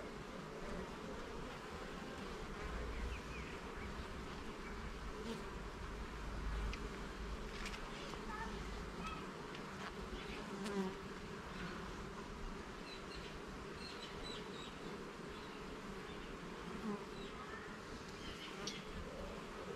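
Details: Continuous drone of honey bees at a garden hive while frames are inspected, a low even hum throughout with scattered light clicks and faint higher chirps toward the end.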